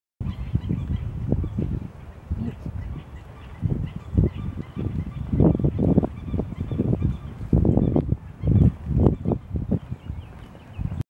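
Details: Frogs call in short, low, croaking bursts in quick irregular runs, recorded around April 4, 2023.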